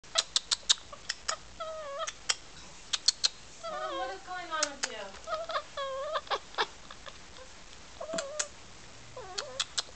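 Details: Pet cat talking to the camera with funny chattering noises: sharp clicking ticks and short chirpy mewing trills at mid pitch, some wavering up and down, scattered across the recording with quiet gaps between.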